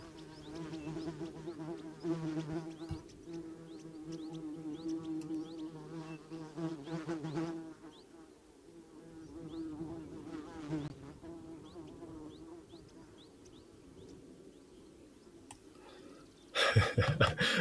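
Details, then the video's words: Loud buzzing of a fly or carpenter bee inspecting a camera housing beside the microphone at an African waterhole; a steady low drone with wingbeat pulses for about seven seconds, fading, then a sudden loud burst of noise at the end. "just told that you can hear this huge buzzing noise and it's a flyer or a carpenter bee that's inspecting a camera housing around the microphone so"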